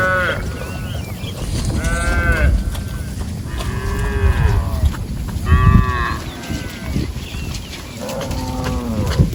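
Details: A group of cows wandering through a rice paddy while grazing, with repeated drawn-out harmonic moos roughly every two seconds, arching in pitch, against low thumping and rustling background noise.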